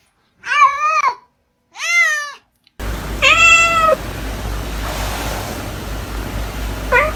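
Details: Cat from a funny compilation of cats acting like people gives three clear meows, each rising then falling and under a second long, the last over a background hiss, with a brief final squeak.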